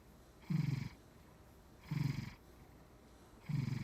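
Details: Maine Coon cat dreaming while asleep; three low, buzzy snore-like grunts, each lasting under half a second, spaced about one and a half seconds apart in a quiet room.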